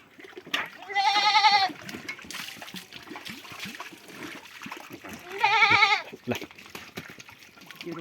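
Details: A goat being treated for lice with a homemade remedy gives two loud, wavering bleats, each under a second long and several seconds apart. People talk and water splashes in the background.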